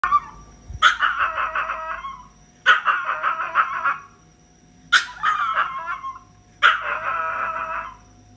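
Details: Pet Chihuahua crying: four drawn-out whining wails, each about a second long, with a harmonic stack wavering throughout, spaced roughly two seconds apart, quiet between.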